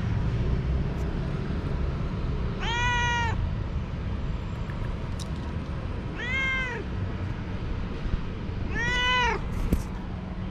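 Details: Energetic young cat that suddenly runs and plays with a moth; three clear, arched meows spaced roughly three seconds apart, each under a second, with a low steady hum behind.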